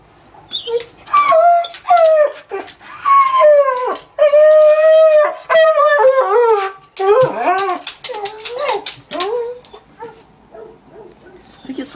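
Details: A female beagle mix, about 2 years old and recently adopted from a shelter, howls in long, wavering, downward-sliding tones with short yelping breaks. She gets stressed when a family member leaves, and she started howling over half an hour after that person left.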